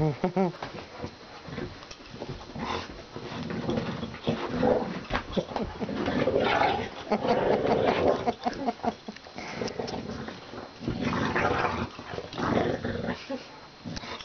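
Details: Pet dog named Dory growling during a game of tug-of-war, a dense rough rumbling that rises and falls in uneven bursts, with human voices talking over the play.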